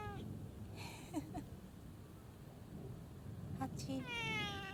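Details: Community cat that answers with a meow when called by its name: a person repeatedly calls its name, then a drawn-out, falling, harmonic meow comes near the end. Soft background noise.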